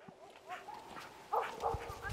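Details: Two Jindo dogs, Por and Ami, on a winter walk through snow that fell overnight in the countryside; short, high whimpering yips that arch up and down in pitch, over a steady whine and crunching footsteps in the snow.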